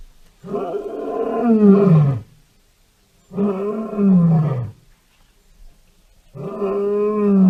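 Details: Lion roaring three times, each a long, drawn-out, tonal roar of about two seconds, swelling and then sliding down in pitch, with brief silences between.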